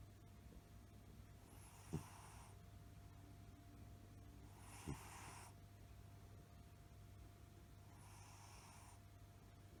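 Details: A Maine Coon cat snores softly while sleeping, with breathy rasps about every three seconds.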